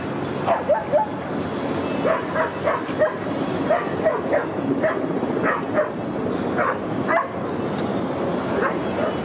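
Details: Rudy, a Boston Terrier, out at the dog park during September 2015; runs of clipped barks follow one another every half second or so, then thin out toward the end, with park ambience beneath.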